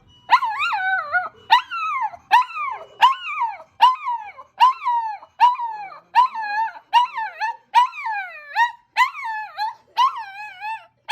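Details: Reacting to a passing ambulance siren, two household dogs, toy poodle Kokomi, nine, and Chihuahua–Maltese cross Momoka, five, give a steady string of about fourteen short yipping howls, each rising then falling.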